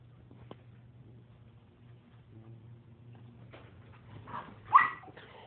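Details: Play-fighting between a German shepherd puppy and a Lab puppy; after quiet scuffling and low hum, a building grumble breaks into one loud, rising, tonal yelp-bark near the end.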